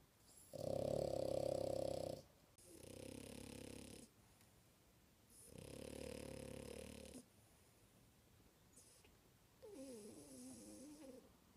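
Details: A sleeping female French Bulldog snores loudly indoors: four rough, droning snore bursts of one to two seconds each, the first loudest and tonal, the last with a wavering whistled squeak.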